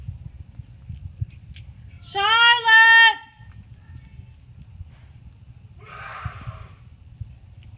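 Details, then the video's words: Tiny Chihuahua puppies of rare colors, including cream longcoats, at playtime in summer 2018; one drawn-out whine lasts about a second at a steady pitch with rich overtones, then a short, rougher yelp over quiet room noise. "Chihuahua Puppies Playtime"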